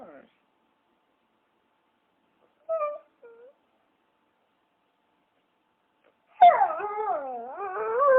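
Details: Mostly quiet at first with a few brief faint cries, then a dog breaks into a loud, wavering howl in the last two seconds, pitch rolling up and down.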